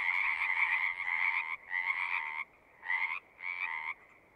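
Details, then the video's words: Singing frogs heard as nature ambience, giving long buzzy trills that run nearly two seconds at first, then break into shorter bursts separated by quiet gaps, the calls growing softer toward the end. "One hour of singing frogs."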